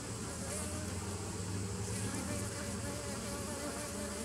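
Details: Bees on 27 September 2018 humming in a thick continuous drone, with a deeper low hum running underneath the buzzing and a constant, even loudness across the short stretch.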